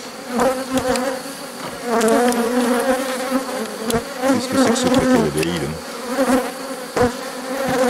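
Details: A drone-laying honey bee colony being rescued in May 2021 after its queen cells were torn open. A thick, continuous hum of many bees with pulsing swells, interrupted by occasional taps and scraping of the hive.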